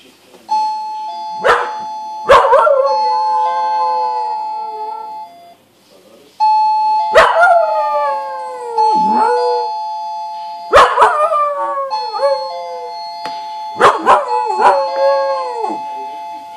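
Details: Male pet dog sitting at the front door, howling along whenever the doorbell is pressed: ding-dong chimes ring four times, each met by long, sliding, falling howls layered over the steady bell tones.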